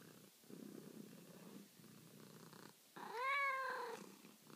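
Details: Male domestic cat at night wanting to be petted: rhythmic low purring in breath-length pulses, then a loud drawn-out meow rising and falling for about a second.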